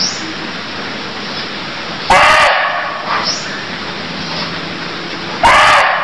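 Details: In Cambodia, a barking deer gives two sudden harsh bursts about three seconds apart, set against a constant hiss and faint high chirps.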